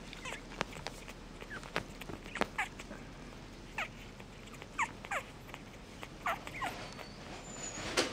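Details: Mixed-breed puppy repeatedly whimpering, with brief high, bending squeaks spaced every half second to a second, plus light clicks and rustling in the background.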